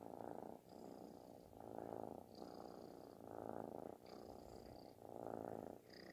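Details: A kitten purrs loudly as if snoring while being affectionate; thick rattling rumble rising and falling with each breath, about one swell per second, faint whistly breath tones above.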